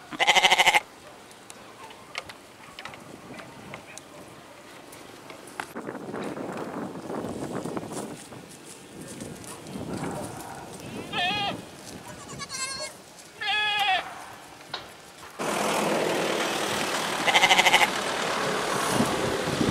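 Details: Goat bleating in short, quavering, pulsed bursts at the start and again near the end, separated by a stretch of softer background noise with brief rising and falling chirps.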